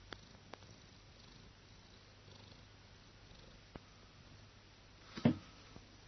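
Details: A house cat relaxing while sunbathing sneezes once near the end: a single short, sharp burst that stands out after several seconds of quiet, soft low hum, with a few faint clicks earlier.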